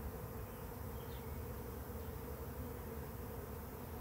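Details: Many bees of a swarm around a swarm trap hum in a steady, low, dense drone with slight swells in loudness, as the swarm begins to disperse.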